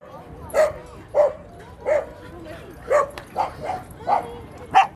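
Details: Corgi. Short, bright barks from a corgi come in an uneven run, each a quick yappy burst. Faint background noise and possible voices sit underneath the barking.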